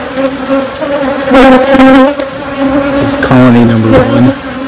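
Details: Hive of honey bees making queens after losing their queen: a steady low hum broken by louder wavering bursts, then a deeper, tooting note lasting about a second layered over the drone.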